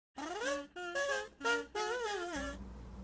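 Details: Kazoo, a rescued, fully grown terrier mix dog, gives a run of short voiced, tonal howl-like syllables, each bending upward then down, four bursts in under three seconds, in a small indoor room.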